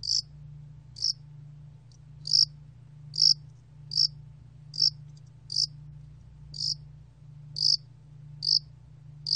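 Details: Yasan allak cricket recorded in 2020 by Korea's National Institute of Biological Resources: short, sharp, high chirps repeated roughly once a second at an uneven pace, over a steady low hum.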